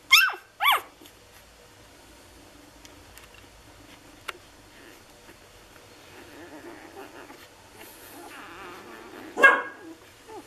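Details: Lagotto Romagnolo puppies from an A litter in Hamburg, six days old: two loud, sharply falling squeals open, followed by soft, wavering whimpering in the middle and one more shrill squeal near the end, set against a quiet indoor room.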